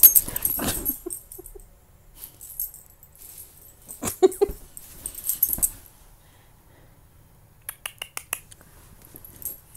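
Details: Old English Bulldogge named Cato Mandrake, playing with its owner indoors: a brief low grunting burst opens the recording, followed by scattered scuffles, clicks and thumps of play with quieter pauses between.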